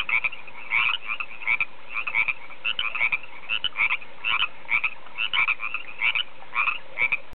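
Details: In spring at Table Top Mountain near Oroville, California, a frog chorus of rapid, trilling croaks repeats steadily, many voices overlapping in a bright pulsing rhythm.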